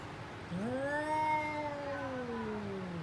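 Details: Domestic cat during a fight, one sustained rich yowl that rises quickly at the start, stays level for about two seconds and slowly falls at the end.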